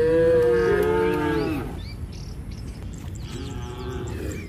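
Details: Tame cattle heading home to their shed, calling to companions: one loud, drawn-out moo that slides downward at the end, followed by a quieter, fainter moo from another animal over a steady low rumble.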